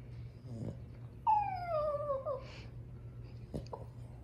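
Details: Indoors, a female French Bulldog upset about her toy lets out a thin, falling whine of about a second, framed by short soft huffs or yips before and after.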